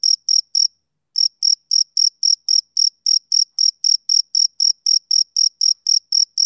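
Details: A male cricket sings on a summer evening. Its high, pure chirps come about four times a second, broken by one brief silence near the start before the rhythm picks up again. No other sounds are heard.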